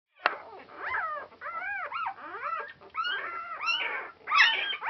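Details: Noisy 4-day-old Border Collie puppies from Clannad Border Collies, filmed on Super Sunday 2012, giving overlapping high squeals and whines that arch up and down, several pups calling at once with brief gaps.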